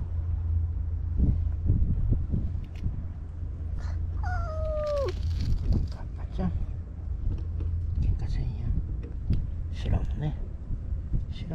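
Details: Stray white cat in Japan near anglers on harbour tetrapods, with another cat: one long drawn-out meow sliding downward near four seconds, set against a constant low hum, scattered knocks and faint voices.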